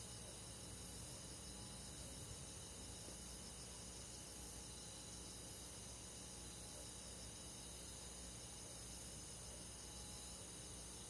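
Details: Crickets and forest insects calling through a quiet summer night in the country, steady shrill trilling in several high bands, periodic short chirps about once per second, soft hiss underneath.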